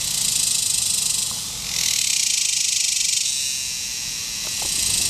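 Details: A superb dog-day cicada (Tibicen superbus) calls from an ornamental tree, possibly a Bradford pear, at a picnic area along the Muskogee Turnpike in Eastern Oklahoma on 18 July 2010 at about 8:20 PM. Its intense, high hissing drone briefly dips, then surges back.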